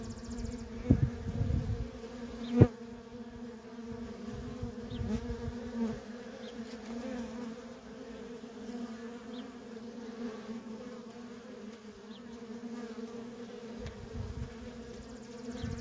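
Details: Steady hum of worker honey bees trafficking at a feral colony, several loud close passes and a sharp tick in the first few seconds, then an even drone.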